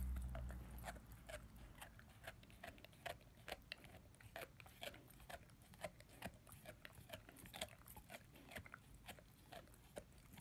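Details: A young German Shepherd/Labrador mix, 10 months old, gnaws his first bone. Steady, fairly regular crunching snaps and wet clicks come more than twice a second over a quiet low hum.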